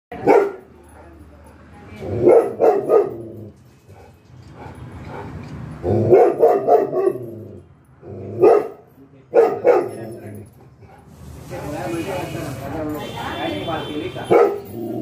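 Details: Dobermann barking aggressively while guarding: loud, harsh barks in short clusters of two or three, about six bursts over fifteen seconds, separated by quieter growly rumbling and brief pauses.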